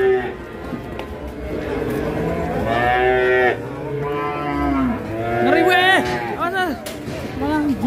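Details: Enraged cow in Indonesia, rampaging and knocking over a motorbike, lets out a series of long, drawn-out harmonic moos, some wavering and bending in pitch near the end, over a noisy outdoor background.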